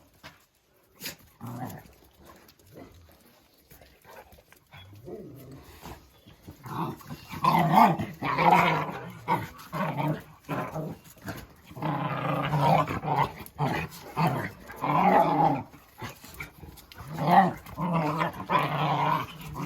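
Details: Jack Russell Terrier named Oscar growling in long rumbling bouts that build from scattered low grumbles into loud, sustained snarls over about twenty seconds, with a person's voice nearby.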